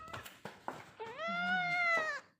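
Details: A munchkin cat gives one long plaintive meow indoors, rising at the start then held level and tapering off, with a few soft clicks and a faint voice before it.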